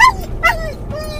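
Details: Mungle, a muzzled Doberman/collie cross in a car, after finding his Moromom toy. He gives two brief, high yelping whines, each sliding downward, then a faint trailing whimper over car hum.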